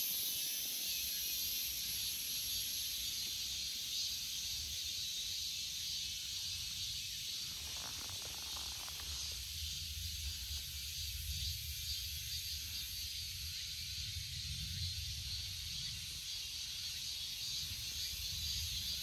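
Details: Cicada calling with a steady, dense high-pitched hissing drone that holds without a break for the whole stretch, a faint low rumble underneath.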